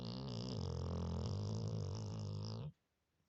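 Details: Loud snore from a sleeping Labrador Retriever, sounding like a human: a sustained, rattling, low rumble with a fluttering texture for over two and a half seconds before stopping abruptly into silence.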